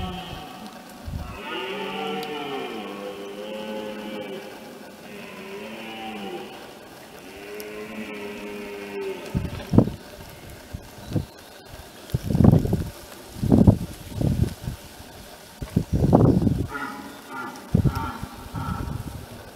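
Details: Red deer in France, 2017, roaring in the rut: three drawn-out, hoarse, harmonic bellows, each rising and then falling. They are followed by heavy low thumps and rumbling with short broken grunts.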